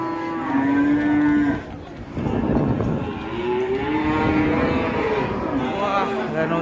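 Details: An enraged bull being let loose bellows repeatedly, drawn-out harmonic moos with rising and falling pitch, a brief pause midway, and voices in the background.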